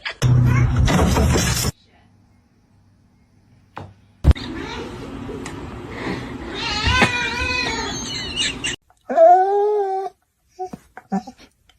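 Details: Domestic cat voicing a wavering, drawn-out yowl, then a short rising-falling meow near the end, amid bursts of noise, human speech and background music.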